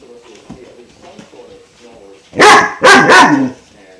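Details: A five-month-old German Shepherd puppy, Klaus, hesitating over a water buffalo horn treat: after quiet murmuring and a woman's voice, a quick burst of three loud, harsh barks close together.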